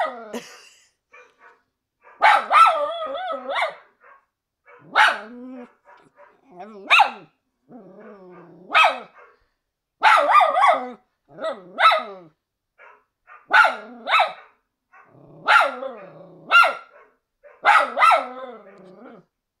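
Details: A Miniature Schnauzer worried for a scared Doberman on screen gives repeated yodelling bark-howls in pairs and triplets, each rising then bending down, spaced every one to two seconds with short quiet breaks.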